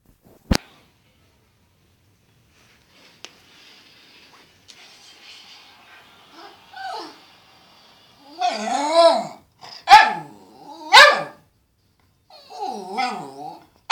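A Cairn terrier gives wavering, whining vocalizations that bend up and down in pitch, with sharp snorts between.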